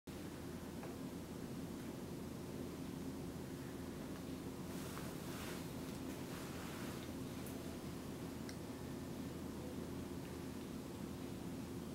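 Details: Steady wind and low rumbling noise fill the recording, with no animal voice heard.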